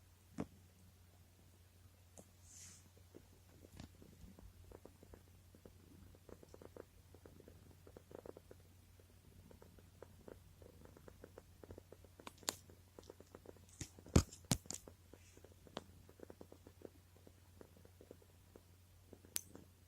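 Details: Panda, a rescued former stray cat living indoors with its family, rolls over and purrs while being stroked and feeling good: a soft, steady low rumble runs throughout, with scattered faint clicks and rustles.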